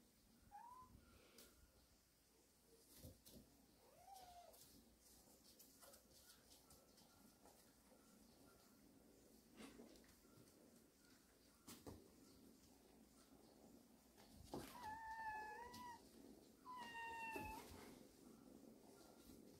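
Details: Warehouse cat family, a mother with kittens at rest; several short, scattered meows, faint at first, then two clearer, higher, tonal mews near the end over low background hum.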